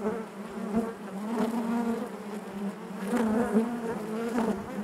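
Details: Low, constant buzzing of a honey bee colony within the hive, many wingbeats blending into one drone, with slow swells and a few louder close buzzes.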